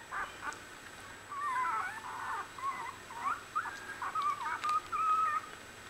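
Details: One-week-old Australian Bulldog puppies in a litter: thin, high squeaky whimpers and wavering squeals, some rising and falling, coming in short overlapping bursts, with quiet gaps and faint background hum.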